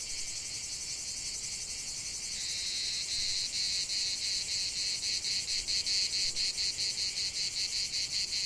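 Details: Cicada chorus in a natural setting, a hissing high drone that grows louder after a couple of seconds and settles into regular throbbing pulses, roughly two or three each second.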